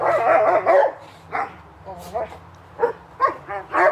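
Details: Playtime barking from Hubert and Woody in a backyard in summer: a burst of barks, then scattered short woofs mixed with a person talking.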